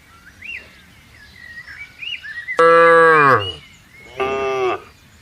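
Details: Grazing cattle in a green field at morning; one strong moo sliding downward in pitch, followed by a shorter, softer moo, with wavering bird whistles in the background before the first call.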